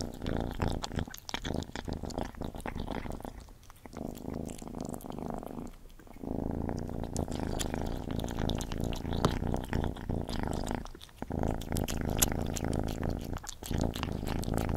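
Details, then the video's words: Gordy the cat eating: a sustained low purr with soft wet chewing and crunching, briefly quieter twice before the rumbling resumes. "Cat Gordy Eating ASMR"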